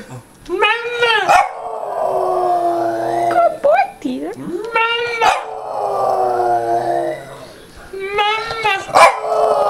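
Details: A Boston Terrier "sings" to its owner, howling in long, wavering, falling tones, with a human voice joining in between.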